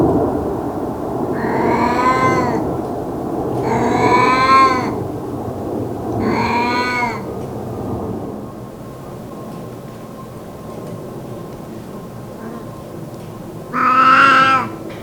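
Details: Elderly pet cat basking in the sun lets out rare meows: three rich, arching mews in quick succession, a long pause with low background hum, then one final louder meow.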